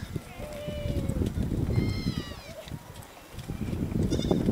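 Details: Goats climbing trees in search of food give two drawn-out, wavering bleats, the second higher and quavering, over heavy low rumbling background noise.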